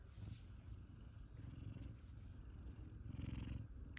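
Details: Two F2 Savannah cats, Kumba and Zara, greet their owner coming home from work indoors; a steady low rumbling purr runs throughout, pulsing rapidly, with faint soft sounds on top.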